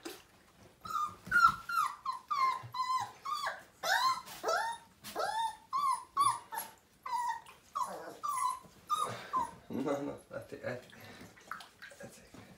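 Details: Siberian Husky puppy, five weeks old, during its first bath in a small room, giving a steady stream of high, quavering whines and yelps at shifting pitch, with human voices talking over the cries.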